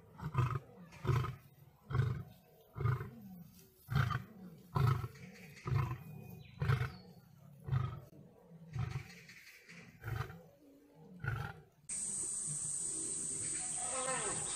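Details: Lion fighting a tiger, deep low roars and grunts pulsing roughly once a second for about twelve seconds, then a loud steady high-pitched whine cuts in over weaker rumbling.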